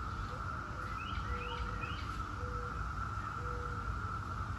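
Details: Seventeen-year cicadas of Brood X keep up a constant, even whine, overlaid by short bird chirps and a few soft whistled notes, with low-frequency ambient noise underneath.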